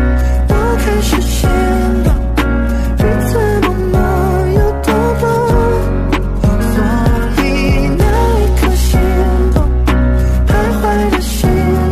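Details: Continuous rhythm-and-blues style music with a heavy beat and sung melody, with no animal voice.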